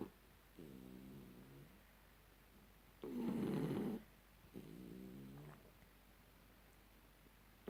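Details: Shar pei dog asleep indoors after having its ears cleaned, snoring in rhythmic rasping breaths, a long harsh louder snore in the middle, each breath about a second long with pauses between.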